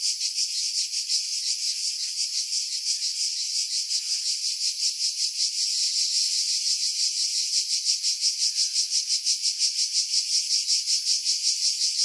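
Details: Cicadas in pine trees roughly 50 m above the sea, Pefkos Bay, Skiros Island, Greece, July 2018: unbroken high-pitched buzz throbbing in quick regular pulses, growing slightly stronger toward the end.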